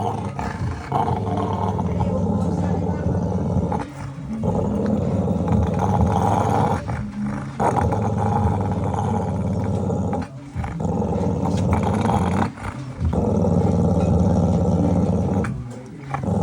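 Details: An angry pit bull growling in long, low, rumbling bursts with brief pauses between them, the deep growl sustained for several seconds at a time.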